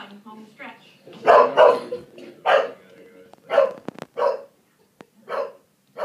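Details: Pieces, a three-year-old English Bulldog, barks at the television: loud, hoarse single barks come in uneven bursts, about six in six seconds, with short quiet gaps. A voice speaks faintly between them.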